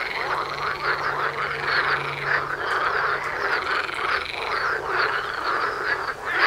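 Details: Croaking frog concert in front of a front door: dozens of overlapping rattling calls merge into a constant, throbbing chorus, with some wavering, rising croaks standing out and a faint low hum underneath.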